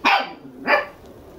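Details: Two-month-old red male Toy Poodle puppy named Munro, born December 11, lively and energetic, kept at a puppy house in Machiya, Arakawa, Tokyo; two sharp, bright barks about half a second apart in a quiet indoor room.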